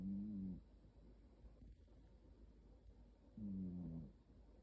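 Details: Cat snoring in its sleep, each breath a low, buzzy tone with a gentle downward slide, two snores roughly three seconds apart over quiet background hiss.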